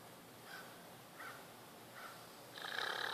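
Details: Kiya, a deaf female leopard at the Wildlife Survival Sanctuary in Spring Hill, Florida, snores in her sleep because of breathing trouble: soft raspy breaths recurring about every 0.7 seconds, swelling into a louder, harsher snore at the end.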